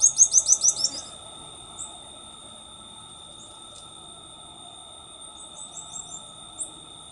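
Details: A black-tufted marmoset (Callithrix penicillata), endemic to Brazil, calls with a quick burst of high, twittering chirps in the first second, then a few faint squeaks over a steady high-pitched hum.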